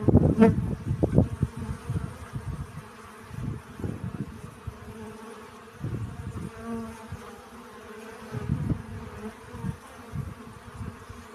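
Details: Honey bees busy collecting pollen, low droning buzzes swelling and fading in irregular bursts as insects pass close, with a sharp click early on and a faint background hum between passes.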